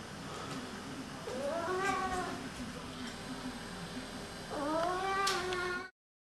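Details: One of two male Oriental cats "talks", giving two long, drawn-out meows that rise and then slide downward.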